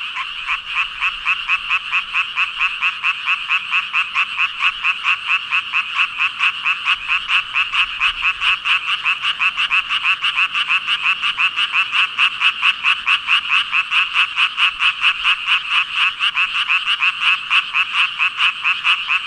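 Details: Around 5,000 frogs calling together, a long unbroken ribbit-ribbit chorus of rapid, rhythmic rasping pulses at a high bright pitch, steady in loudness throughout.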